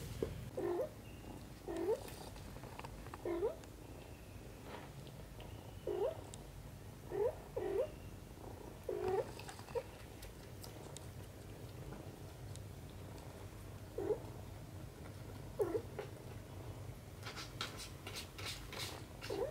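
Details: Indoors, mother cat Xaxa plays with and cleans kitten Kimi; short soft murmuring bursts repeat roughly every second or two over a steady low rumble, with rustling clicks toward the end.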